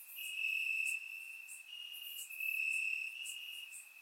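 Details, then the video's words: Crickets in the grass at night during a warm Bulgarian summer, surround-mic recording; a sustained high trill comes in two strong swells, each lasting under a second, with soft higher ticking behind. "Cricket Sounds - Crickets Chirping at Night"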